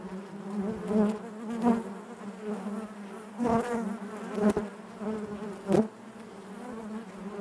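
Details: Honey bees humming inside the hive, a continuous low drone broken by several short louder swells and clicks as single bees move close past.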